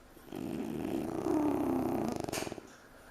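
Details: French Bulldog puppy snoozing on a couch indoors, giving one long, low, rattling snore that swells and then breaks into a fluttering buzz before fading.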